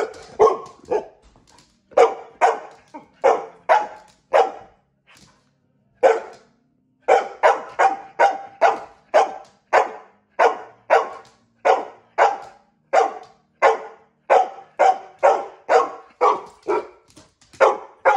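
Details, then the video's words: Female pet dog barking when her owner wanted to brush her; sharp barks repeated in quick runs of two to five, with short pauses between bursts, steady and insistent throughout. "Dog barks because I wanted to brush her!!!!!!"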